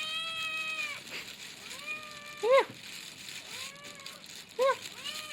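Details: Young male cat mewing twice, brief bent calls about two seconds apart, set against long sustained musical tones that run through the whole stretch.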